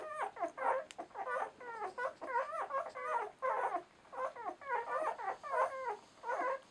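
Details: Newborn German Shorthaired Pointer litter, ten days old, at a kennel in Romania: a tight string of thin, rising and falling puppy whimpers and yelps from several pups, repeated in short bursts indoors.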